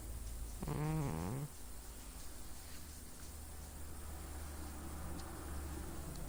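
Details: Domestic cat snoring in its sleep, a single short buzzy snore near the start with a wavering tone, then quiet breathing and a faint steady hum.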